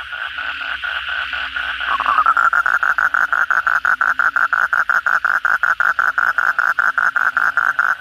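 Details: Frog chorus at night after heavy rain: a softer trilling chorus of frogs, then from two seconds a close Asian common toad starts a loud, fast train of buzzy croaking pulses that keeps going steadily.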